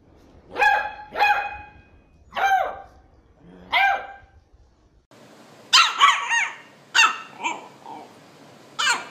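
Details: Puppy barking in quick bursts: four sharp yapping barks in the first four seconds, then a denser run of higher, squeakier yaps and yips, close and loud with little background noise.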